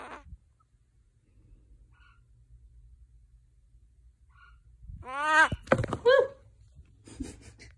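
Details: A pet African bullfrog (Pyxicephalus adspersus) that has suddenly turned cranky gives a loud, harsh, harmonic croak that rises and falls, with a few soft thumps. The owner suspected a power outage and cold house.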